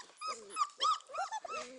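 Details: Four-week-old Beauceron puppies in a kennel, several overlapping high, thin whines and whimpers, each rising then falling, about five short cries packed into under two seconds with no other sounds.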